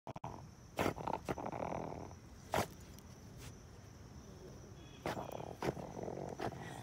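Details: A small female Maltese-Schnauzer mix dog digging for voles and moles on a hot day makes low, piggy grunts and snuffling snorts between sharp scratching bursts.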